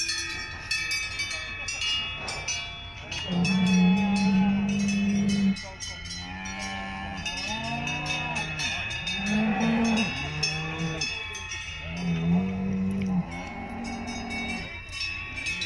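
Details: Salers cattle at a cattle show in Pleaux, Cantal, France, on 13 August 2022: several overlapping deep moos, some long and steady, others arched and wavering, with cowbell clanks and crowd noise throughout.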